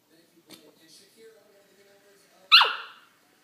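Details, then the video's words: Corgi puppy making funny noises while playing with a Kong toy: quiet human murmuring, then one sharp, high yip that slides quickly downward and fades. "Corgi puppy funny noises w/ Kong toy"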